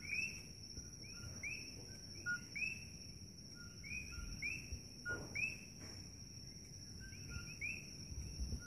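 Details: Several common coqui frogs (Eleutherodactylus coqui) at night in Holualoa, Kona Coast, Big Island, Hawaii, give loud two-note 'co-qui' advertisement calls, a short low tone followed by a rising whistle.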